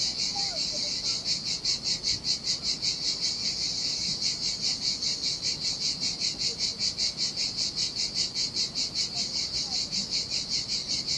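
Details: A cicada singing in the heat by a deserted beach on the Sardinian sea gives a high, shrill buzz that pulses steadily, about two to three throbs each second.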